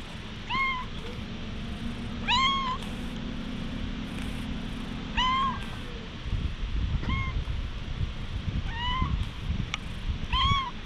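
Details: A stray cat gives seven short, clear meows while being gently tapped and patted, captured on a GoPro HERO8. Each call arcs up then down, and low rustling noise follows in the second half.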